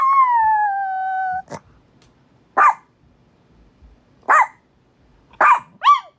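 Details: Winnie, a female Chihuahua in Minneapolis, reacting to the monthly tornado siren test that upsets her: one long, steady howl falling slightly, then a series of short, sharp yips spaced about a second apart.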